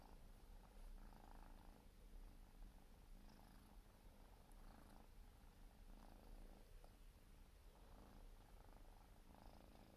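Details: Purring Siberian forest cat kitten, four months old, during grooming: a long, unbroken low rumble steady for the whole stretch, with light licking rasps returning every one to two seconds.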